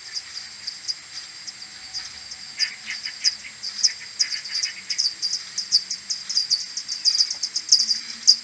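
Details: Slowed tenfold, common pipistrelles of a maternity colony stream back to the roost at dawn, 21 May 2022, AudioMoth 1.1 recorder: rapid clicking pulses about twice per second per bat, overlapping, plus lower warbling calls in the middle.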